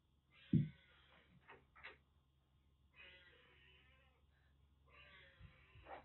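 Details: Rescued kitten in Kagoshima, western Japan, found soaked during record heavy rain with severe cat flu blocking eyes and nose, now facing a much bigger senior cat indoors; three soft, drawn-out harmonic meows spaced a few seconds apart over a steady low hum.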